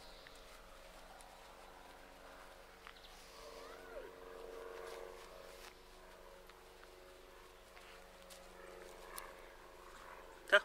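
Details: Labrador Retriever puppies from a litter of seven, 37 days old, make low, harmonic growl-like sounds with a brief sweeping whine midway. Quiet background with people talking at times.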